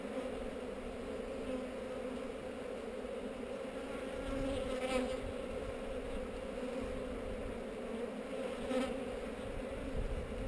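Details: Inside a honey bee hive on heather during an inspection, recorded on a GoPro, the colony gives a dense, unbroken drone. It grows slightly louder midway, with two faint rustling bursts.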